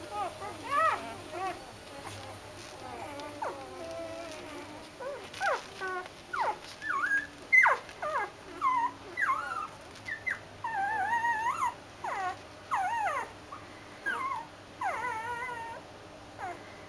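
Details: Doberman puppies settling down to go to bed, giving a stream of short, high, wavering whimpers and squeaks, repeated in quick bursts throughout, with a faint steady electronic whine in the background.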